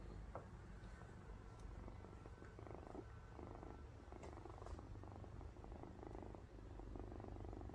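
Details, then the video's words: Domestic cat purring while sleeping, compared to snoring: a soft, continuous low rumble that pulses steadily throughout, with a few faint clicks and light background hiss. "코 골며 자는 고양이 (골골 소리) Snoring Cute Cat (Purr Sound!)"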